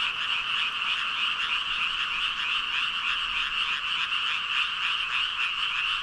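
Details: Countless frogs, said to number about five thousand, croak together in an unbroken ribbit chorus, rapid overlapping pulses forming a constant wall of sound throughout.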